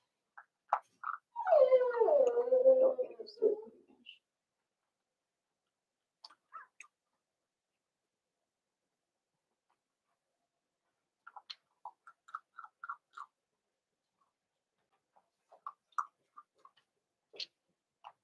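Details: Cavalier King Charles Spaniel puppies in an indoor puppy pen, meeting older household dogs for socialization on 12/13/22. One harmonic whine slides downward over about three seconds, followed by scattered faint short yelps and soft knocks.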